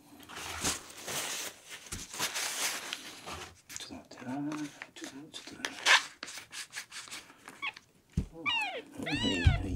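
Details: Miel, a male red-and-white tabby kitten rescued at one day old, ten days into care, dehydrated and refusing milk, indoors at feeding time; a quick run of high, arching mews near the end, after rustling and a human voice.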